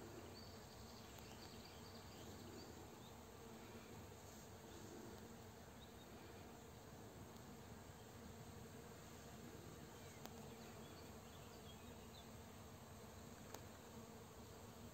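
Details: Honey bees foraging in a flowering rapeseed field around 4 pm, gathering nectar and pollen while a farmer sprays nearby; a steady low, dense hum of many insects throughout, with faint rustling in the background.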